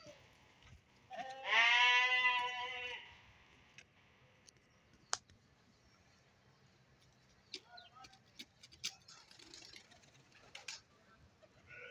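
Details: Small fat-tailed sheep let out of their enclosure to exercise: one loud quavering bleat near the start, then quiet scattered knocks and faint rustling.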